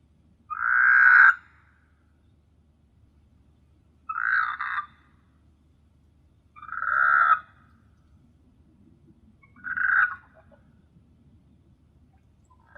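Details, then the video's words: Frog croaking at night on the Maldivian island of S.Hulhumeedhoo: single short, harsh, nasal croaks, each under a second, spaced roughly every three seconds against a faint low background hum. "Beautiful frog sound at night"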